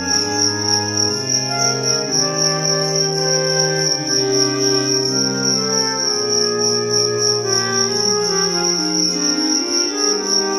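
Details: A cricket (jangkrik) in a fighting arena bout between two 1-gram mini crickets gives a high, steady, shimmering trill, unbroken over background music with slow organ-like chords.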